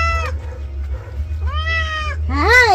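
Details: Domestic cat being bathed in the afternoon meows. A short cry comes first, then a longer, evenly held meow, then a louder arching meow that rises and falls. A steady low hum runs throughout.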